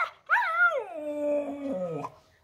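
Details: Siberian husky singing a howl: rises quickly, peaks, then slides downward in steps over nearly two seconds, ending in a low rough break; steady tone throughout.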